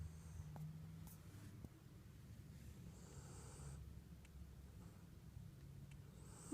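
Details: Husky puppy asleep, snoring softly indoors: faint airy hisses about every three seconds over a steady low rumble.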